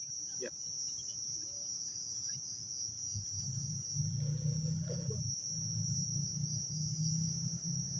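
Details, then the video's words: Night chorus of crickets surrounding a dark spot at Taman Rakyat Klang: one continuous high-pitched trill running throughout, with brief faint voices and a deep background hum swelling midway. "Dengar tak bunyi sekeliling, bunyi cengkerik semua dengar tak?"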